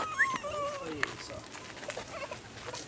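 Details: A female cheetah at Ree Park Safari, Ebeltoft, Denmark, on Aug 29, 2017, gives a high, thin meow that bends down in pitch, with people talking nearby.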